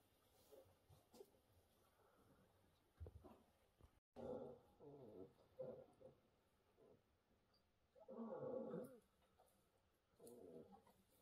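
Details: Fragile orphaned brown bear cubs at the Orphan Bear Rescue Centre, taken in during 2023, utter low moaning, roar-like cries in separate bursts, with a long swelling call near the end and soft background rustling.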